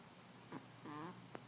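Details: Sleeping Chihuahua puppy Gigi gives a short, breathy snore, a brief wheezy rasp with thin whistled overtones lasting about a quarter second, preceded by a faint sniff, against a low constant hum.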